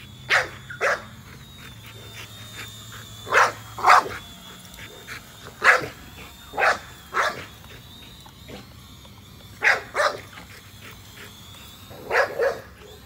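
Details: Nola, a female American Bully, barks while chasing a drone overhead: paired and single sharp barks in bursts every one to three seconds, with the thin whine of the drone running throughout.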